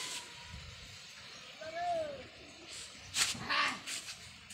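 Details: Domestic kitten at play with a black goat, the pair living together in a hut; one thin, clear meow arches up and down, later a lower short call, over a faint noisy background.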